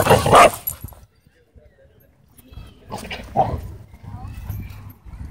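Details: Dogs playing at a dog park: one loud harsh bark bursts out at the start, then quieter broken vocal sounds near three and a half seconds amid outdoor background noise.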